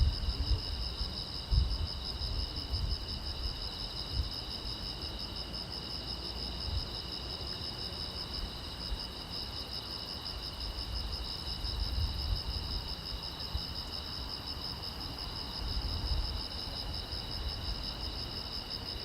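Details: Night-time crickets along a quiet road keep up an unbroken, rapidly pulsed high-pitched trill, layered in two steady bands, while soft low rumbles come and go underneath.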